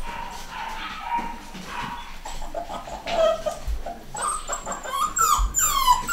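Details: Litter of home-bred pedigree miniature dachshund puppies, boys and girls, nine weeks old; quiet stretch at first, then thin high whines and squeaky yelps build up in the second half, several pups calling over one another.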